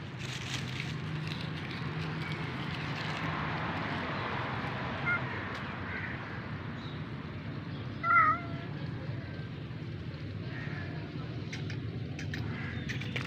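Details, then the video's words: Rescued kitten meowing once, short and wavering, after a long stretch of quiet background rumble with faint voices. "Baby Cats meow voice"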